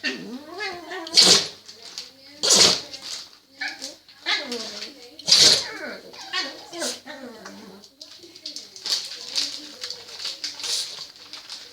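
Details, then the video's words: French Bulldog that can't stop sneezing: three loud, sharp, explosive sneezes near the start and middle, with lower bursts between and a person's voice talking over much of the recording. "French bulldog can't stop sneezing"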